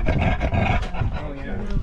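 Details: An 11-month-old rescue cattle dog/husky mix sits under the table at a Labor Day family picnic and gives a low, rumbling growl that scares guests, with adult voices talking over it.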